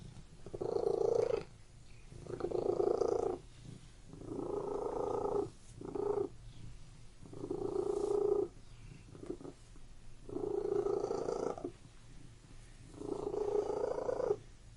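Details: Indoor cat giving a continuous rhythmic purr, the buzzy rumble pulsing on and off roughly every one and a half to two seconds with each breath, about seven cycles, with quiet gaps between.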